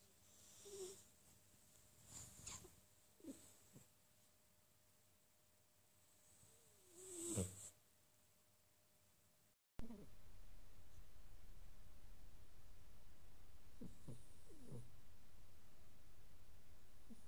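Quiet, low snoring from a Sphynx cat: a soft rasping rumble rising and falling with its breathing. The sound is faint throughout, with a steady low hiss of background noise in the second half.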